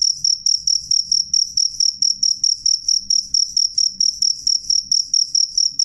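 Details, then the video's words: High, clear cricket chirps pulsing regularly at around four per second, strong and ringing, with only a soft low rumble behind. "suara jangkrik jernih keras"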